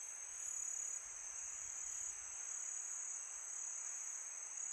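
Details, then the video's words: Crickets at night in summer, a sustained shrill high trill with a steady pitch, accompanied by a soft low breath of wind early on. "Crickets sound for meditation"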